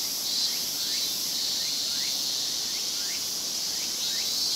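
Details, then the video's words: Summer semishigure in Japan, many cicadas singing at once: an even, piercing high drone with a handful of brief rising buzzy strokes scattered across it. "Big chorus of Japanese cicadas.日本の夏の蝉しぐれ"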